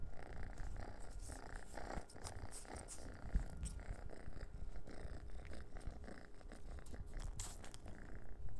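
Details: Purring from Noah, an orange cat toying with a dehydrated minnow treat indoors; deep even rumble lasts the whole stretch, broken by brief sharp taps and rustles.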